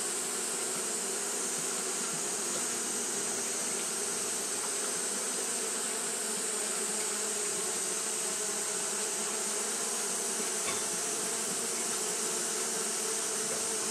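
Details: Steady wing-fanning drone from Japanese honey bees on a hot day, an unvarying buzzing hum beneath a wide band of hissing sound that continues without pause.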